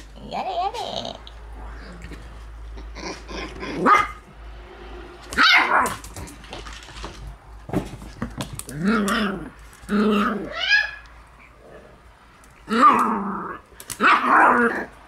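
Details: Two Shiba Inu puppy brothers born 16 September, making their room debut as an older young dog born 12 July pesters them; bursts of short rough barks, yips and growls come in irregular clusters, with quiet gaps between.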